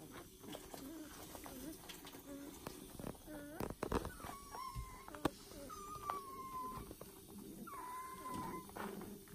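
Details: Foster puppies from a new litter give a few drawn-out, level whines spaced several seconds apart, thin and steady in pitch, amid shuffling and faint clicks.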